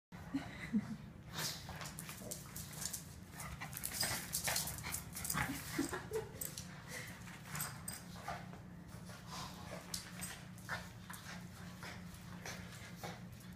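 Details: Boston terriers playing tug of war. A steady low rumbling growl continues throughout, broken by sharp scuffling and tugging noises and quick panting bursts.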